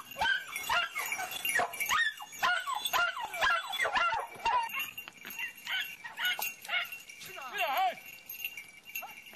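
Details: Jagdterrier yapping in quick, uneven bursts of sharp high yips and whiny yelps, one wavering squeal near the end, while a man talks in Spanish over outdoor background noise.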